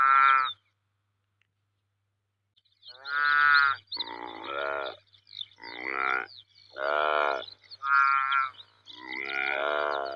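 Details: Saiga antelope calling in a series of nasal, harmonic bleats, each about half a second to a second long, coming in uneven bursts after an opening call and a short silence; no other sounds.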